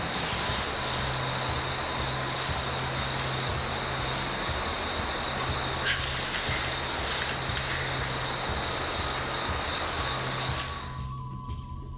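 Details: A propeller aircraft drones steadily with a constant engine hum and a high whine, and no animal voice can be picked out.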